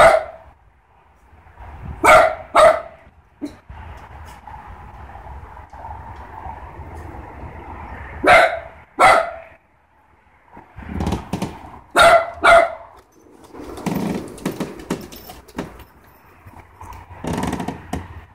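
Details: Aspen, a Great Pyrenees, and Philly, a Mini dachshund, heading outdoors to check that everything is fine; loud harmonic barks come in short bursts, paired near two seconds, again around eight and twelve seconds, with scattered softer rustling and movement between them.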